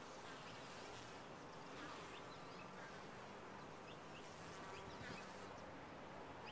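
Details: Top-bar hive bees keep up an unbroken, even buzz that swells slightly now and then, with occasional soft bird chirps high above the hum.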